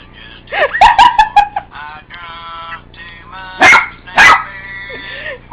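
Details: Pet dog barking at annoying phone ringtones: warbling tonal ringtone music plays, then two loud barks about half a second apart, with the ringtone going on behind them.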